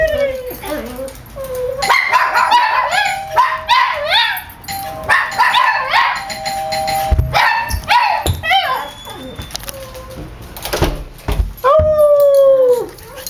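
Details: Several dogs react to a doorbell with rapid excited barking and yelping, several bursts in quick succession, a doorbell ding-dong and a person's voice among them, ending in a drawn-out whining howl.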